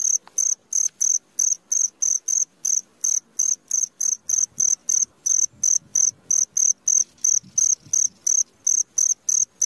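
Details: Midnight cricket calling steadily: shrill, very high chirps in short bursts, about three per second, sharply separated by brief silences, with a faint low rumble underneath.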